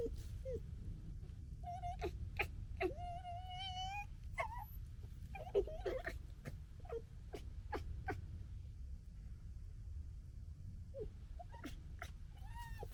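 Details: Red fox (Vulpes vulpes) cubs of the 2021 litter gekkering and squabbling: sharp clicking yips and wavering, whiny cries over a low rumble.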